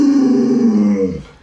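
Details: A pet Alaskan Malamute, Luoluo, responds to its bedridden sick owner with a short, loud, mournful howl. The tone slides steadily downward and fades out after about a second.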